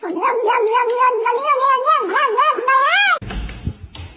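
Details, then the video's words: Domestic cat in a cat fight: a sustained, wavering yowl whose pitch wobbles up and down for about three seconds and climbs at the end. It breaks off abruptly, followed by a brief human voice. "Cat Fight"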